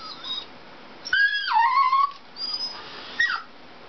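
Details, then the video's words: Indoor Dachshund Dixie after a Toyota chase commercial: one loud whine that starts high and slides down to a held, wavering note, followed by a fainter whimper and a short yelp. "Dachshund watching Toyota chase commercial"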